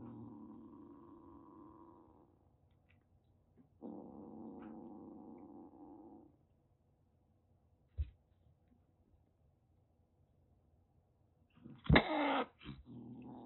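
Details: Calico kitten rescued in Kagoshima, Japan, roughly six weeks old, threatening: two long, steady, low growls are separated by quiet, with a single click midway and a harsh spitting hiss near the end.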